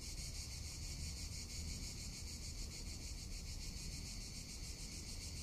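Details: Summer cicada chorus in Tuscany, a continuous shrill, pulsing buzz holding an even level throughout, with wind rumbling underneath.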